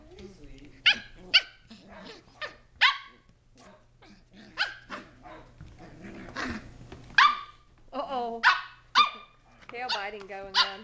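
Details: Shetland Sheepdog puppies, 7.5 weeks old, playing indoors in a great room: climbing, jumping, wrestling. High yappy barks with rich harmonics burst repeatedly, some in quick pairs, mixed with a person's voice.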